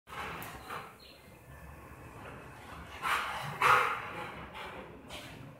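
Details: A 1.5-year-old Rottweiler, friendly with family but aggressive toward strangers, guards the house and barks to scare off a delivery man about to enter; a few harsh, broadband barks stand out from steady background noise.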